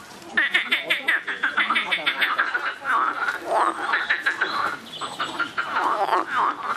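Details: Noisy frogs calling loudly in a dense overlapping chorus, rapid pulsed croaks in fast runs with rattling bursts, bright nasal tone, many callers at once throughout.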